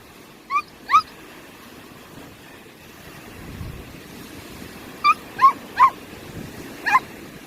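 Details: Samoyed dog facing upcoming tumour surgery, lying down on a family seaside trip to Sokcho; short, high, rising whimpering yelps, two early and four later, over a steady low background hush.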